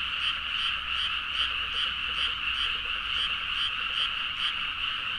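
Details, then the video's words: Frogs calling in full chorus at midnight over rice fields in Nagaoka, Niigata, Japan, Zoom H4n recording; overlapping rasping croaks pulse rhythmically around twice per second, some individual calls rising above the steady wall of sound. "The frog sound at mid night (環境,自然音 -深夜のカエル大合唱-)"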